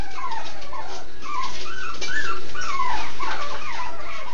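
Several Miniature Schnauzer puppies cry together, giving thin, wavering whimpers that rise and fall in pitch. The squeaky calls overlap and repeat irregularly, more than once a second.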